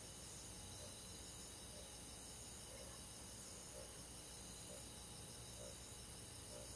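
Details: Crickets and other insects on a summer night in the countryside: a steady, high-pitched shimmering trill that runs unbroken throughout. Softer low pulses repeat roughly once every second beneath it.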